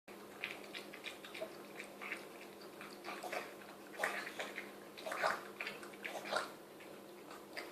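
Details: Mia, a female Chihuahua, snarfs homemade chicken soup indoors: quick wet slurping and lapping bursts, roughly one a second, with a few louder smacking gulps in a small room.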